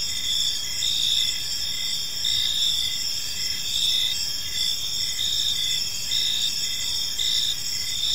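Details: Crickets chirping on an evening in a peaceful park, a dense, steady high-pitched chorus of overlapping trills with faint pulsed chirps repeating roughly every one to two seconds, over a soft low background hum.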